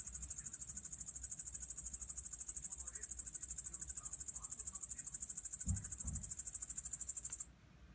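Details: Japanese bush katydid (yabukiri) from Kyushu, Japan: a steady, very high, rapidly pulsing buzz held without a break for over seven seconds, then stopping abruptly, with faint low rumbling behind.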